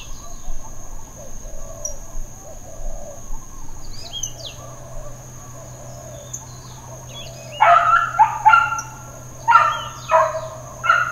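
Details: Dog barking in Hawaiian Paradise Park, Hawaii, on September 2, 2024, Labor Day, part of a half hour of intermittent uncontrolled barking: faint distant barks early on, then a close run of about five harsh barks in quick pairs, with chirping birds behind.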